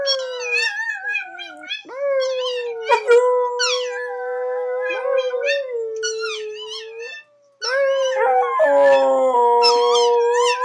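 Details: An American Staffordshire Terrier howls for the first time, joining in with a recording of another dog howling played nearby. Long, sustained, steady howls carry wavering high overtones and overlap the recorded dogs' howls, with a brief gap near the end.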